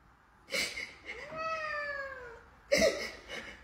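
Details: Pet cat meowing once, a clear harmonic call that climbs briefly and then glides downward for about a second, with brief knocking and rustling sounds just before and after.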